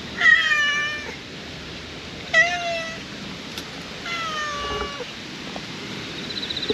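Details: Brown-and-white stray cat, formerly living beside a pond, now settled in a Western-style park garden: three clear harmonic meows, each falling at the end, roughly every two seconds, over soft outdoor hiss.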